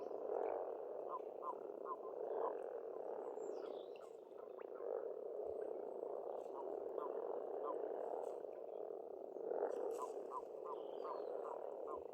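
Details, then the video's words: Pond frogs croaking in an Estonian spring, a steady dense chorus with short bursts of rapid ticking pulses repeating every couple of seconds, and faint bird notes overhead. "Расслабляющее пение птиц и лягушек, весна, природа."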